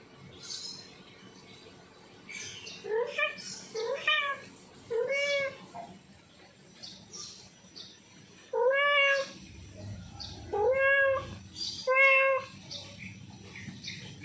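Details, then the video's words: Domestic tomcat in heat yowling for a female: a series of loud, wavering harmonic meows, each about half a second long, delivered in rapid groups of three with a brief pause between groups, over low room noise. "Suara Kucing Jantan Birahi Panggil Kucing Betina"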